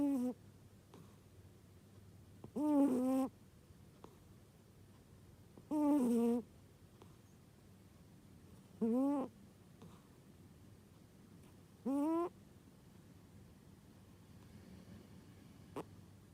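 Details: Sleeping house cat giving unusual snores: four strong, harmonic, whiny bursts, each about half a second long and rising or falling slightly, spaced roughly three seconds apart, with faint low background hum and near-silence between.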